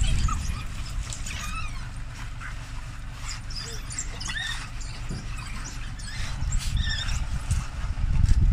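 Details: Rescued African wild dogs held at a Botswana shelter before release, calling during feeding: scattered high squeaky chirps and bird-like twitters, some rising, amid constant low rumble and faint voices.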